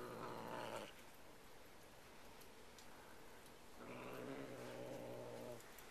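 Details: A Bengal cat guarding a new feather toy gives two low, dog-like, rumbling growls with a wavering, moaning edge, separated by a brief pause.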